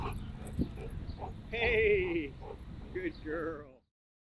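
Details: Nine-day-old puppies of the dog Christi, with their mother: thin wavering whines that slide downward, two drawn-out cries about a second apart, mixed with low murmuring human voices and soft rustling.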